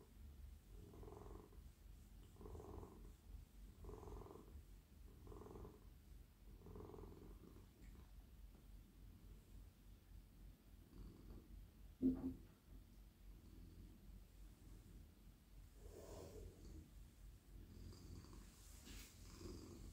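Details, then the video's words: Lying in a lap at night, a very friendly male domestic cat purrs as he is petted on his head, neck and whole body. Low, pulsing purr cycles of about one and a half seconds fade gradually, with one sharp click midway. "Cosy cat purring"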